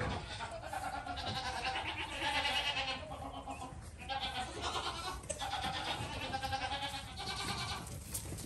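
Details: Young goat kid bleating: a run of wavering, nasal bleats with a quavering tremble, several long cries following one another with only brief gaps, over a faint background hiss.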